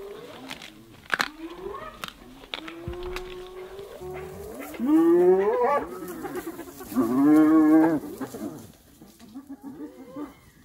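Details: Hyenas brutally attack another hyena: after scattered thumps and faint whines come two long, loud, drawn-out moaning groans, each rising slightly and lasting about a second, followed by softer whimpering cries.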